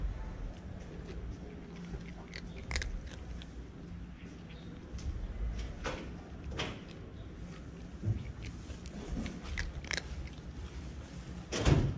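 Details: Crunchy chewing and biting noises in a small room, with scattered clicks and faint speech, no calls.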